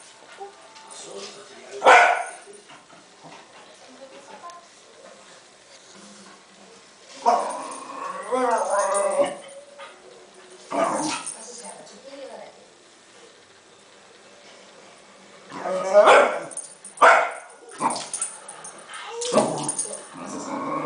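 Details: Cairn Terrier worked up over a balloon: a loud bark early, then a quieter stretch with a person speaking, followed by a cluster of three abrupt barks near the end.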